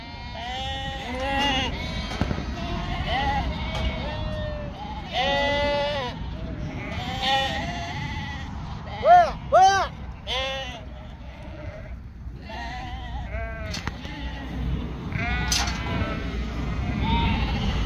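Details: Sheep on a northern Spanish farm, a flock including yearling ewes, calling in a busy chorus of wavering bleats, short and long, crowding together, with voices and a low background rumble mixed in.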